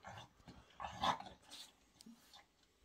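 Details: Bob, a French Bulldog at home, resisting while cream is applied to him and medication is put in his food; short gruff bark-like bursts with a louder grumble near the middle, a man's voice coaxing him close by.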